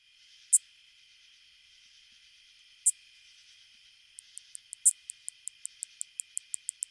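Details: A greater angle-wing katydid, a common Illinois/Midwest species, sings sharp, high, sturdy zips, then a steady run of quick, dry ticks.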